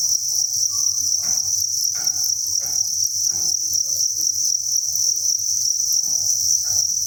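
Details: Unbroken high chirping from thousands of crickets in a cricket breeding farm, with irregular soft knocks and rustling taps every second or so and a low rumbling hum beneath.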